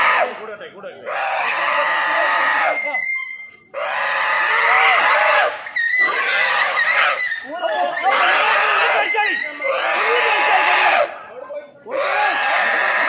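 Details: Wild boar in a Kerala forest, squealing while being trapped in a cage: long, strained, high-pitched screams in bursts of two to three seconds separated by short silences, with faint human voices.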